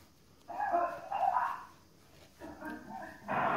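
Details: One-month-old golden retriever puppies give short, high whimpering yelps in quick bursts.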